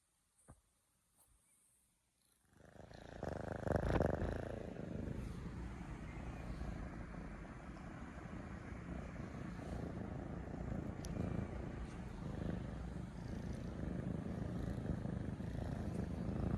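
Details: Two three-month-old domestic kittens purring affectionately beside their owner as a morning wake-up, loud like small machines: after two quiet seconds and a faint knock, a dense low rumbling purr swells in and continues steadily to the end.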